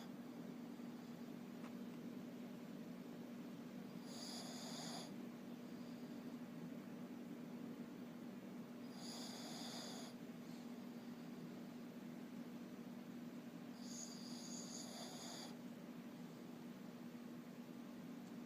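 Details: Shih Tzu (Canis lupus familiaris), snoring.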